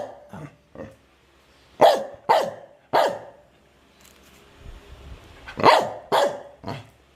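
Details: Medium-sized dog barking in irregular bursts, single and double barks with pauses between, while people talk in Filipino in the background.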